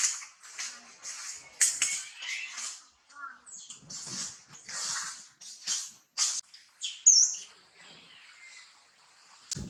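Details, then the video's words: Baby monkey screaming and crying when its mother Challina will not let it nurse; shrill, high broken cries in short bursts with gaps, some brief chirpy sounds between. "baby monkey screaming cry when mother Challina doesn't provide milk"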